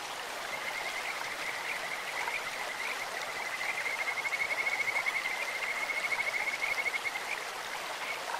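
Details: Stream-dwelling Kajika frogs croaking in clear water: high chirping notes build into a long, clear whistled trill in the middle, all over continuous babbling stream noise.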